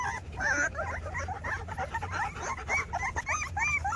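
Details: Litter of Rottweiler puppies two weeks old, crying over one another in thin, rising and falling whines and short squeals, busy and continuous with no pauses, over a steady low rumble.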